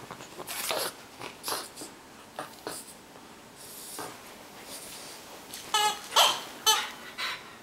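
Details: Bulldog named Batman playing roughly with a toy gorilla, a birthday present, indoors in a small room: short breathy snorts and wheezy grunts in irregular bursts, with a few sharp squeaky tones near the end.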